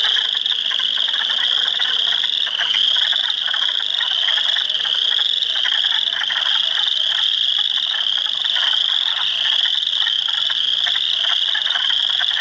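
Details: Hundreds of spring frogs calling in a swamp at Heartland Forest, Ontario, on April 2, 2022, including Spring Peepers, Wood Frogs and Eastern Chorus Frogs; a dense, unbroken chorus of high rising peeps over lower rattling trills.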